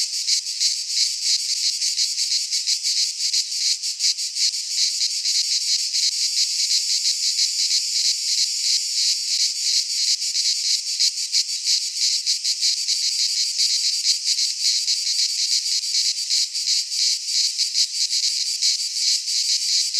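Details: Continuous cicada song in midsummer among Greek pines: an intense high-pitched rattling buzz, flickering rapidly and unbroken over twenty seconds, with no other sounds.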